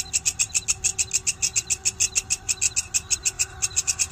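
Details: Walang kecek grasshopper producing loud, shrill, evenly spaced scratchy pulses, about three to four each second without pause, over faint low hum.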